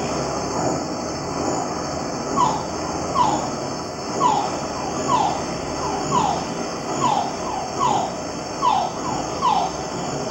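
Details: A male rain frog (family Leptodactylidae) in the Yucatán Peninsula, Quintana Roo, calls females from small hoof-print puddles in open habitat near communities: brief whining notes sliding downward about once a second, with an unrelated steady high hum underneath.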